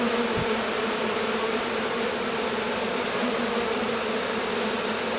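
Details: A swarming honey bee colony on a hot day after a long spell of rain and cold that kept the bees confined to the hive: a dense, steady, continuous hum of countless wingbeats, unchanging throughout.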